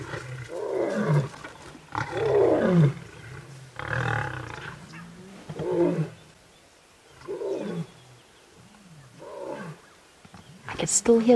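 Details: Wild lions roar during a clash between three Birmingham males and the Nkuhuma Pride with cubs at sunrise on August 11: a series of loud, throaty bursts, roughly one every two seconds, that weaken toward the end before a sharp final noise.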